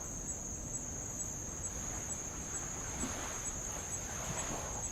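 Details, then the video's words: Tongan insects around Avalau island, Kingdom of Tonga, heard while rowing near old lava shoreline: a steady, unbroken high-pitched whine holds throughout, over soft low rumbling of light waves on the lava. "sound of light Waves on old lava and Insects"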